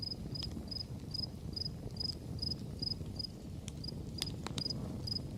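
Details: Crickets chirping in the background of a campfire; short, high, evenly spaced chirps about three per second, with the fire's crackles and pops and a low rumbling bed of flame noise.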